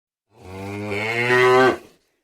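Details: Cow mooing once: a single loud, drawn-out low moo, rising slightly and swelling toward the end before stopping abruptly, with a clean quiet background.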